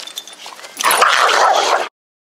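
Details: Kira, a pet dog, in a small fight with another dog: a harsh, rough snarling burst about one second long rises abruptly out of quieter scuffling and stops sharply.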